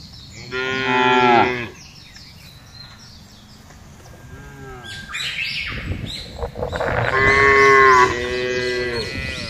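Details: Thousands of cattle calmly herded across a vast green pasture: a strong moo, then fainter distant lowing, then another long loud moo, with bird twittering between calls.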